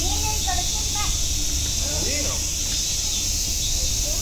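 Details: At Nogeyama Zoo, massed cicadas produce a dense, constant metallic whine high above, with soft talking and short vocal sweeps from nearby people lower down.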